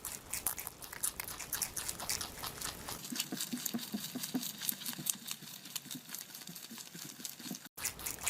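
A rabbit eating, with rapid crisp crunching and nibbling sounds repeated in quick bursts.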